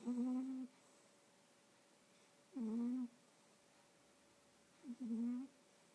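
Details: Sleeping domestic cat, snoring and dreaming: three low, steady, humming snores, each about half a second long, coming roughly every two and a half seconds with quiet breathing gaps between them.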